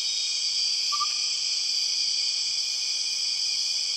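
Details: Steady shrill drone from empress cicadas in the Borneo jungle, layered high buzzing tones held constant, with one short lower whistled note near the start.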